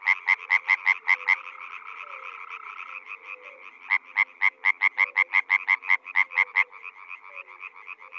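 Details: European frogs croaking in spring in the Czech Republic: two loud bursts of rapid, sharp, evenly spaced croaks, the first short and the second longer, over a steady background chorus of more distant callers.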